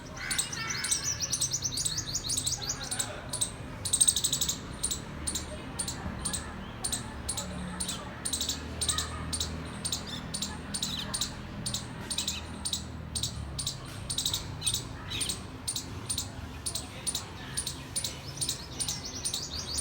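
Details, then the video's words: Squirrel making a cute sound: rapid, regular high-pitched chirping clicks repeated steadily throughout, over a low rumbling background. "Squirrel making cute sound"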